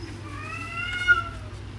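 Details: A cat gives a single drawn-out meow, steady and slightly rising toward the end before it cuts off, with a faint low hum underneath.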